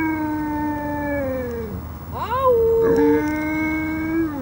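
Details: Caucasian Shepherd Dog giving long, sustained howls, a steady drawn-out tone that sags at the end, breaks into a short rising whoop, then resumes as an even held howl.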